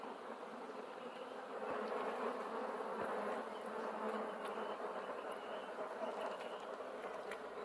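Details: A thick, continuous buzzing of many bees, even and unbroken, rising slightly in strength after the first two seconds and holding steady to the end.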